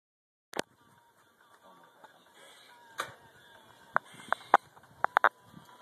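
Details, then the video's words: Squirrel barking: sharp, clipped chucks spaced irregularly at first, then coming in a quicker burst of four or five near the end, over a faint steady background hum. "Barking Squirrel"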